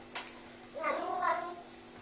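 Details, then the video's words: Sphynx cat meowing indoors as a person coaxes it to talk: one drawn-out, nasal meow that rises and then falls, lasting under a second, preceded by a short click. "Talking cat sphinx"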